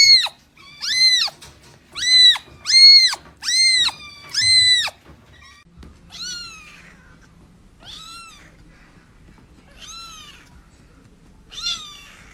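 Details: Cat producing a quick run of six piercing meows in the first five seconds, then four softer, more widely spaced meows that fade out over a quiet room background.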